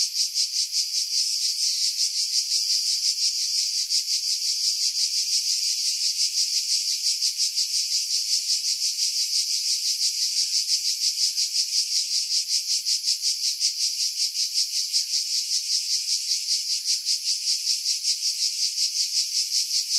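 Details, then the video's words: Cicadas in pine trees high above Pefkos Bay on Skiros Island, Greece, July 2018, keep up a dense, high, metallic hiss with fast rhythmic pulsing for twenty seconds, slightly less even than elsewhere. Wind buffeting was edited out. "Cicada Sounds, July 2018 Skiros, Greece"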